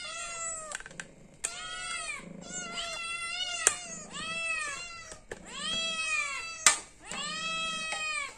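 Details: Indoor cat asking for food because it is hungry, meowing insistently: about seven loud, harmonic meows in quick succession, each arching up then down, broken by occasional sharp taps and clicks.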